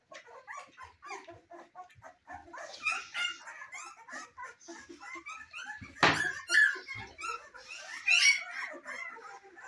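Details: Young Cane Corso puppies in their first weeks, indoors, crying in overlapping high whines and short yelps, with a sudden loud squeal partway through among the ongoing chatter of the litter.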